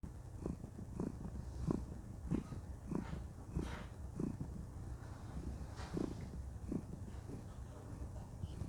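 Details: A contented female cat purring while cuddling, a low steady rumble pulsing with each breath roughly every half second, quiet and even throughout.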